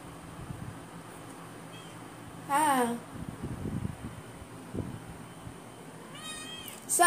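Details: Adopted Persian cat indoors, meowing twice while its owner talks to it in Tagalog, asking where it is going: a loud, drawn-out, falling meow, then a shorter rising meow a few seconds later, with a soft room hum throughout.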